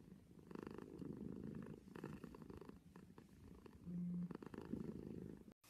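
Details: Cat purring near the microphone, a low buzzing rumble in uneven breath-paced waves, with a short steady tone partway through and an abrupt cut at the end.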